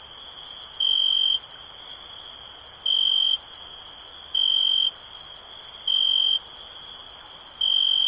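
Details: Cricket chirping for stress relief: five loud, high, even-toned pulses of about half a second, spaced roughly every one and a half seconds, over a steady shrill background buzz.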